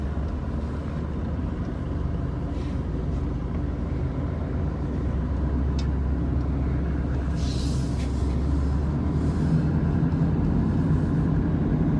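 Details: A continuous low vehicle rumble fills the recording, with a brief hiss near the eighth second.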